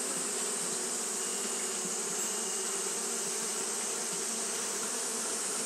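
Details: On a hot day, Japanese honey bees keep up fanning behaviour, producing a thick, constant whirring hum layered with a hissy upper band, steady from start to finish.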